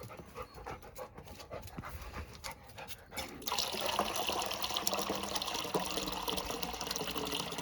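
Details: Labrador Retriever panting in quick, soft breathy bursts, roughly two to three per second, with a steady hiss of running water filling the background from midway on.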